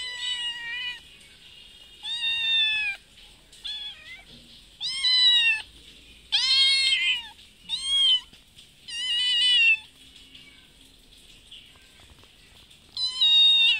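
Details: Meowing from a mother cat that comes to a house twice daily asking for food while her kitten stays nearby; loud, drawn-out harmonic meows arrive in bursts a second or two apart, separated by short quiet gaps.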